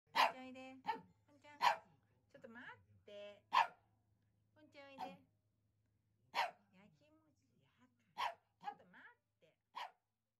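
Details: Ten-year-old male Pomeranian with a parti-colour coat, barking at home in front of its owner as if trying to tell something; sharp single yaps roughly every two seconds, with a person talking between barks and a low steady hum.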